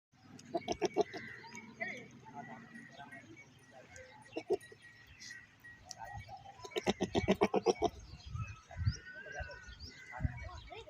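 Goats bleating in quavering, wavering bursts, with voices and birds faintly in the background.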